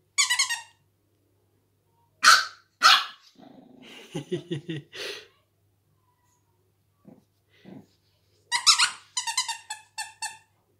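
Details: A female pug puppy discovering her bark in July 2019 gives sharp, high-pitched yapping barks in quick bursts, with a person talking between them.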